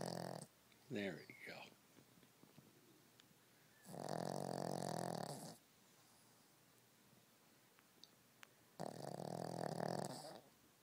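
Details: Pet dog snoring in a small room: two long harsh droning snores about a second and a half each, after a short burst of speech from a person.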